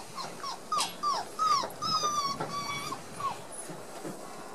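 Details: One-month-old Border Collie puppies, discovering new sounds and playing together on 4 October 2016, give a lively string of short, high whines and yelps, some rising then dropping, several voices overlapping in quick bursts.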